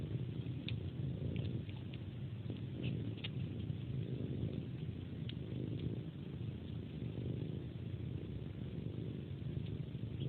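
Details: During its pre-sleep ritual a cat suckles on a hand as if it were a pacifier and purrs, a deep even drone punctuated by repeated small sucking clicks.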